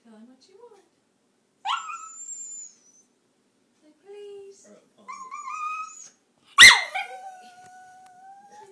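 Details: Pet dog Taco whines and talks in a small room. Short, wavering whines rise and fall in pitch, then a sharp yip breaks into a drawn-out whine that fades away. Faint human voice at the start.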